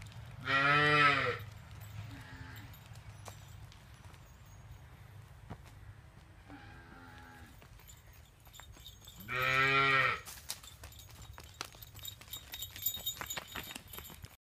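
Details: Punganur calf calling: a loud one-second moo, then softer short lows around two and seven seconds, another loud moo near nine seconds, followed by clattering and rustling noises.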